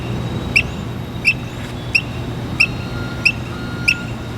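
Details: Squirrel perched on a water valve, chirping like a bird: six short, sharp, high chirps, evenly spaced about two-thirds of a second apart, over a steady low background hum.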